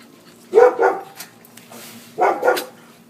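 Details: Pet dog indoors giving two short, muffled barks about a second and a half apart, each a double pulse with a low, hum-like background; the dog had been acting strangely and seemed afraid of its owners.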